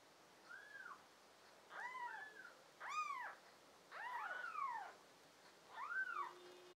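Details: Several small kittens from a litter of five, American Shorthair and tabby mix, filmed June 2022, call with overlapping high arched mews, some doubled and crossing one another, in irregular bursts over a quiet indoor background.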